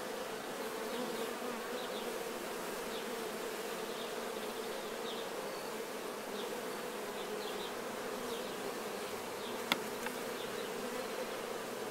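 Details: Honey bees, nectar-covered during honey harvesting, cleaning themselves: a constant colony drone with wavering individual wing tones and one sharp click near the end.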